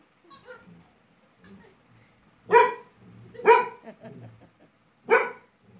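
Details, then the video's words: Angry barking from Laizaqueen, a pet Labrador Retriever annoyed by a little toy: three strong, rough barks about a second apart, after a few soft low grumbles, otherwise quiet. "Labrador Laizaqueen ko aaya gussa"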